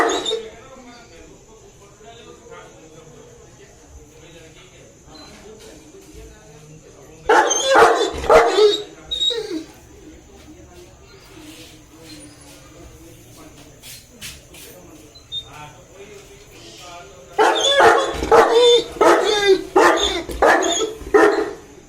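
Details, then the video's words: A 2.5-year-old male Saint Bernard eagerly waits for his owner to arrive, with soft whimpers between two bursts of rapid, loud barking, one brief and one longer at the end, and a person speaking. "Saint Bernard Waiting For Owner To Come"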